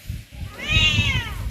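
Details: Pet cat playing in front of its home gives a single clear meow, rising then falling over about a second, rich in harmonics, over a low rumbling background.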